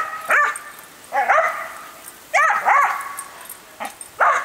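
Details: Docile female dog barking excitedly at a hose sprayer during watering: five or six high, sharp yips spaced about a second apart, each rising then falling, over a steady background hiss of spraying water.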